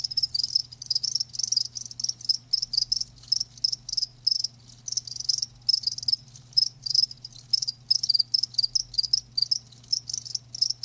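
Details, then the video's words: Chorus of live crickets giving bright, high rapid chirps in short bursts repeated several times a second, gaps between groups, soft low hum in the background. "Live Crickets 60min "Natural Sound""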